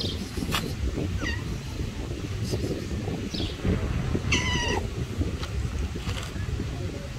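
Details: Tabby stray cat, angered by another cat approaching, gives one clear falling meow midway with a few faint short calls before it, against constant low street rumble and scattered clicks.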